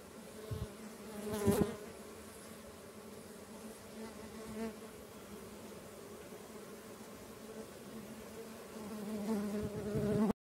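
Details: Stingless bees from several kept colonies in a native-bee keeper's collection, moving around their hives; a steady low droning hum with layered tones, swelling louder near the start and again toward the end, with brief soft thumps.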